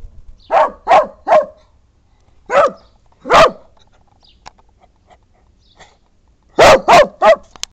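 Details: An angry, unfriendly dachshund barks sharply in quick bursts, a cluster of three, two single barks, then three more.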